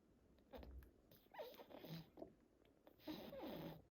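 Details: Sleeping French Bulldog indoors, snoring, sleep talking and smacking as though chewing in a dream. Quiet breathy snorts and snuffles come in short bursts, ending in a longer rustling smack, all low and soft in a small room.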